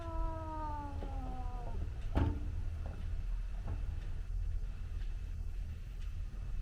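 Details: Cat yowling during a garden fight between a Scottish Fold and a white outdoor cat that visits the garden: one drawn-out, steady, slightly falling tonal wail of nearly two seconds, then a sharp thump, over a low background hum.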